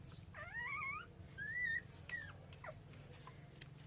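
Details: Street puppies cry for their mother dog, hungry for milk. High, thin whines rise and fall, with a long wavering cry followed by a shorter sliding one and a few brief yelps. A low steady hum sits underneath.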